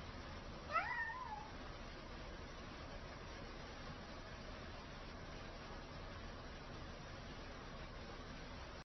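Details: Cats begging to be fed; one short, bent meow in the first second, followed by steady low background noise with no further calls.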